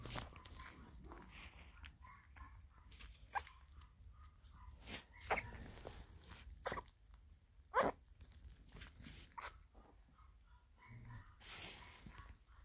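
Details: Four-week-old Russian Toy puppies from the Huckleberry x Pepper litter eat their first meal of mush. Short, high, squeaky whimpers come in small bursts between sharp clicking and smacking eating noises, in a quiet room.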